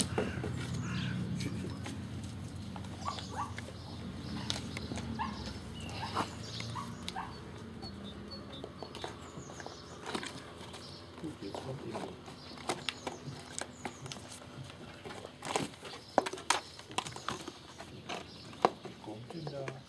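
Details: Gordon Setter puppies playing with and conquering a cardboard box indoors; brief soft whimpers and yips scattered among sharp scratching clicks and rustling of cardboard, with low rumbling handling noise early on.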